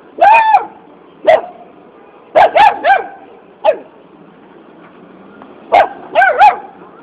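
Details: A puppy asking for a biscuit gives a series of short, high-pitched yapping barks, single and in quick pairs or triples, spaced by brief pauses, over a quiet indoor background.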